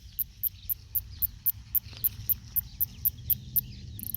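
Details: New Zealand northern snoring cicada (Kikihia cutora cutora), male song described as snore-like: crisp high clicks repeated about four per second, fairly even, with a low rumble beneath and a rising buzz at the end.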